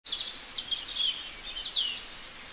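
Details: Baby raccoon waiting for its mother: high, thin chirps and twittering squeaks in short, wavering bursts over a faint hiss of background noise.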